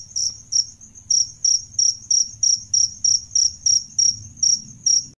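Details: Male and female adult jangkrik, crickets offered as a model for songbird trainers, giving bright, high chirps in an even series of about three per second after a short pause near the start, over a soft low rumble.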